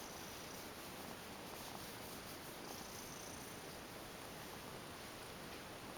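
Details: Relaxed tuxedo cat, a female ex-stray, lying down for a body brush and massage, gives an even, low, unbroken purr throughout, with soft background hiss and no other clear sounds.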